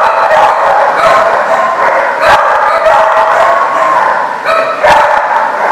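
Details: Crowd of dogs barking on 8/1/14, a constant chorus of overlapping barks and high yips with no pauses, a few louder sharp barks standing out.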